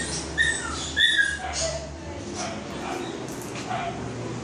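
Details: Shih Tzu named Snow on her first visit to the groomers: thin, high whining whimpers rising and falling in short bursts, with people talking close by over steady indoor background noise.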